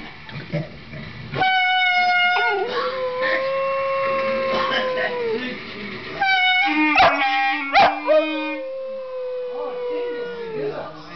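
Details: Fifteen-week-old Boxer puppy howling along while its owner plays the clarinet: long sustained, slightly wavering tones that slowly sag in pitch, in two drawn-out bouts, blended with steady clarinet notes and brief sharp yips between them.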